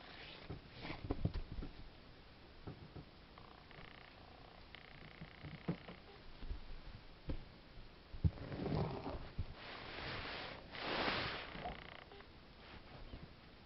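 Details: Ragdoll kitten, two months old, 09/05/2015: a low continuous purr underlies the clip, broken by rustling, sniffing-like puffs and a couple of louder broadband handling noises.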